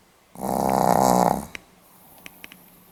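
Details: Pomeranian recorded on 8 November 2015 gives one drawn-out, vibrating snore of just over a second, followed by a few small clicks and quiet indoor background.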